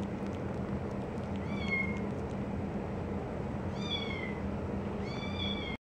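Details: Three-week-old tortoiseshell foster kitten crawling over a male English cream golden retriever while trying to suckle milk. It gives three thin, high mews, the first short, then a pair close together near the end, over a steady low indoor hum.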